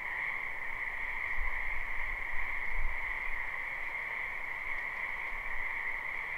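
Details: Many frogs croaking in a spring wetland, recorded live at night-time rest. A dense, unbroken chorus of shrill trilling hums steadily in two high bands, with soft low rumbles underneath around the middle.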